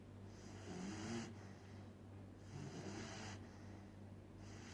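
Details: Miguel, a sleeping puppy, snores in rough, hissing breaths, each lasting about a second with a low droning undertone, three of them in under five seconds, over a steady low hum.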